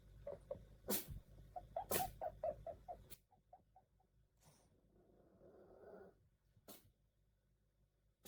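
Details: Sneezing-style barks from a puppy: abrupt, breathy bursts roughly once a second, with soft high yips and whimpers between them, a murmuring lull, then one last sharp burst.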